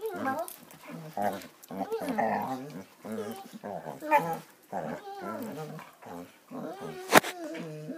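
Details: Basset Hounds playing, with continuous low growls, grumbles and whining yelps in short bursts, human speech mixed in, and a sharp click or thump near the end.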